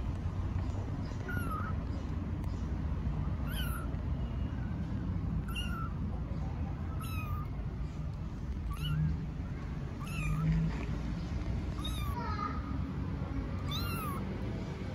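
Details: Newborn stray kittens in Istanbul, eyes just opened, calling for their mother cat: high thin arched meows repeated about every one to two seconds, over low outdoor rumble.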